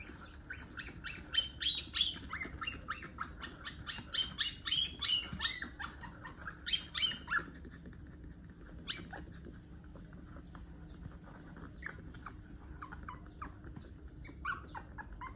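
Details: One-month-old puppy having its long nails cut, giving rapid bursts of high, harmonic yelps and whimpers, loudest in the first seven seconds, then thinner squeaks, with faint downward-sweeping chirps and low background rumble.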